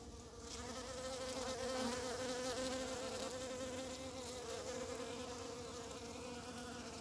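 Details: One of the first bumblebees of early spring, with snowdrops and primroses in bloom as nature wakes. A steady, low droning hum with wavering overtones swells in loudness around the second second, then holds evenly to the end.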